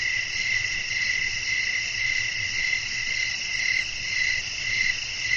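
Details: Night cricket chorus in a relaxing outdoor soundscape with wind: a constant high ringing buzz with gentle, regular pulses of a sharper trill roughly every half second, and a soft low hum underneath.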